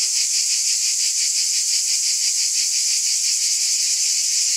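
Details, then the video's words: Summer-night chorus of many cicadas, a steady shrill hiss-like drone with a rhythmic throb running through it, loud and constant from start to finish. "Cicada Ambience SOUND EFFECT"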